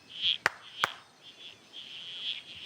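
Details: Around fifty frogs of several species, including red-crowned toadlets, give high, buzzy calls that overlap and swell, broken by two sharp knocks. The frogs get louder with noise and set each other off.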